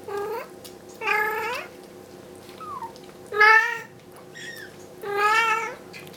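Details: Indoors, Bengal queen Bella shouts for her kittens to be moved back to the carpeted bedroom from the kitchen; four loud meows, some rising then bending down, with a soft high squeak between them, over a constant low hum.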